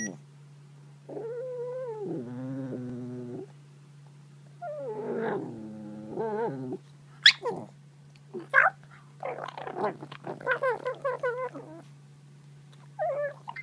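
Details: Pug puppy protecting her bone and making strange noises: warbling, wavering growl-moans in bursts, then rapid choppy yelps and squeaky vocal sounds, with a steady low hum throughout.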